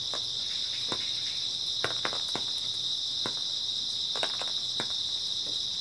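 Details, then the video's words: Early autumn night chorus of grass insects, a continuous high ringing trill with no pauses, over which scattered crisp snaps and crackles fall at irregular intervals. "초가을 밤부터 새벽까지 백색소음 풀벌레 소리"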